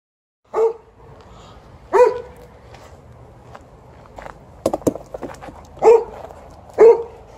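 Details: Twelve-year-old Golden Retriever TJ barks after the morning walk to demand a game of fetch during ball time. Five sharp, mid-pitched barks come at uneven intervals over a quiet indoor background, with a few soft clicks and taps between them.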